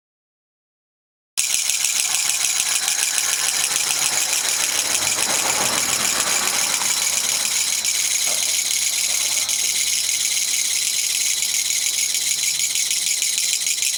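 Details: Japanese katydid, a kutsuwamushi locally nicknamed gachagacha, singing in a Japanese garden on 20 September 2014 after release there, having flown into a living room three days before; after brief silence, a loud, dense, harsh high-pitched rattling buzz starts and continues steadily.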